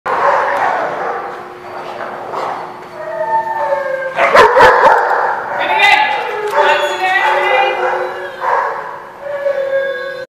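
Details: Dogs at a kennel-like lot called The Barking Lot, several animals barking, yipping and howling at once, harmonic yelps overlapping in a loud continuous chorus with voices mixed in.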